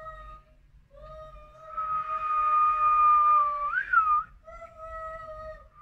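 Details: Siamese cat; yowl; fear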